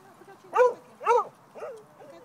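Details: Young dog Pao barking at other dogs playing in a favorite park in Pasadena, alongside big brother Teddy; two sharp harmonic barks about half a second apart, then a softer third bark, over quiet outdoor background.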